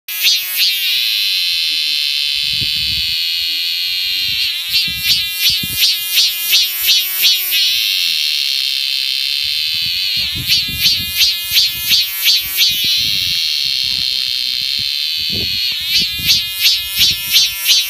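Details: Cicada calling at the Mutianyu segment of the Great Wall of China, north of Beijing: loud, high buzzing drone alternating with bursts of rapid pulsing phrases, cycling roughly every five seconds, with low thumps of handling noise.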